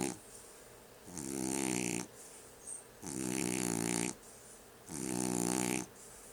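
A French Bulldog snores in loud, rasping, buzzy bursts about every two seconds.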